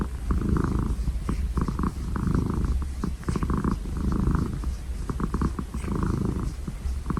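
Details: Domestic cat purring: a steady low rumble that swells and fades in rhythmic cycles about once a second, with faint clicking ticks over the top.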